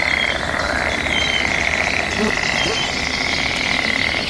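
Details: Frogs calling back and forth in mating season, a dense, continuous buzzing chorus held at a steady mid pitch, with thin whistled bird notes drifting above and a constant outdoor hiss beneath.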